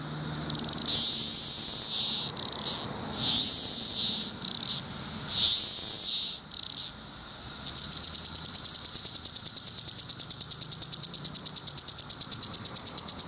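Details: Male Magicicada cassini periodical cicada singing court songs at a roadside rest stop on Route 199, Rhinebeck, New York, among many cassini and decim cicadas: three high buzzes, each rising at its end, then a rapid, steady run of sharp ticking pulses.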